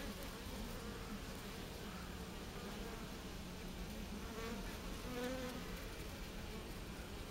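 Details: Japanese honey bees clustered in a heat ball, giving a continuous low droning buzz, even in loudness throughout.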